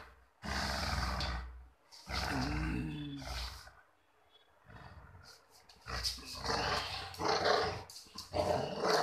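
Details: Puppy at play giving gruff growls in three separate bursts of about one and a half seconds each, the middle one with a wavering, whiny edge, followed by a louder, broken stretch of growling.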